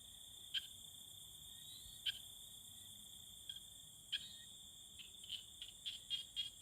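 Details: Tree frogs calling to court one another: sharp, short clicks at first spaced about one and a half to two seconds apart, then a quicker run of clicks near the end, set against a steady, high, ringing insect drone.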